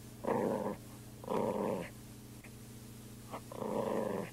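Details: Playful growling from a poodle at play, recorded in 2001: three rough, rumbling growls of about half a second each, spaced roughly a second apart, with faint short sounds between them in a quiet room.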